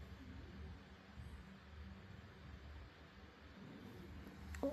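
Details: A 12-year-old Spitz dog snores softly in its sleep, a low rumbling breath that rises and falls in slow waves.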